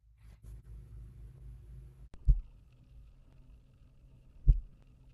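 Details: Sei whale: lower-amplitude pulse calls produced by individual whales, confirmed by on-animal acoustic tags and accelerometer data; two deep, dull thumps about two seconds apart, like distant pile driving.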